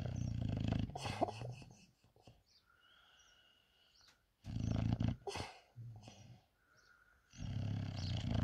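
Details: Sebastian, a lazy, sleepy English bulldog, snores in loud, low, rattling bursts with gravelly snorts, each lasting one to two seconds, broken by quieter wheezy whistling breaths in between.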